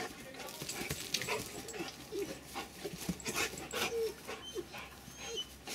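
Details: Two Rottweilers, Denis and Cayenne, getting to know each other: rhythmic breathy panting bursts with a few short high whimpers and soft squeaks, plus faint voices in the background.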